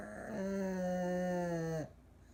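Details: An old Pug sleeps deeply with eyes open, letting out one long, steady, tonal snore of about a second and a half that ends abruptly, in a quiet room.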